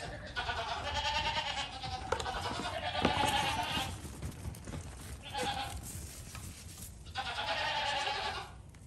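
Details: Young goat bleating repeatedly: a long trembling call of several seconds, a brief short bleat, then another drawn-out wavering cry, against steady low background hiss.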